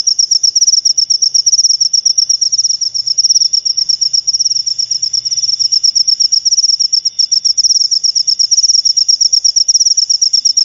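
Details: Cricket chirp used to drive rats away and attract lovebirds, a piercing high buzzy trill in quick pulses, almost three per second, continuing evenly throughout with a brief soft low drone midway.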